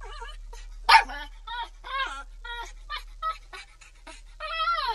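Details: Crying pit bull puppy: a sudden sharp yelp, then a string of brief harmonic whimpers and squeaks, ending on a longer rising-and-falling whine.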